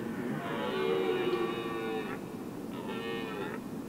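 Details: Red deer during the rut prelude at Weerterbos, 27 September 2013, evening, heard from a lookout tower: one long moaning roar followed by a shorter, fainter one, somewhat distant.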